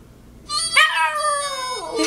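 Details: Pet dog howling along to a Mexican song: a sustained, slightly wavering tone that slides down at the end, about one and a half seconds long, with rich harmonics; music faint underneath.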